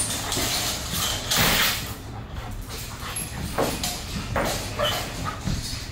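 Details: A young female German Shepherd named Bailey, reactive to other dogs, squirrels, cats, birds and vehicles, on day one of a two-week board and train. Harsh broadband barks burst out several times over a few seconds against outdoor background noise.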